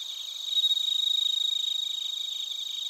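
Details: Bell crickets and other crickets recorded in Narita, Chiba, Japan, on a TASCAM Portacapture X8. A steady high, ringing trill with fast pulses swells in the first second and then holds, layered with several bright tones.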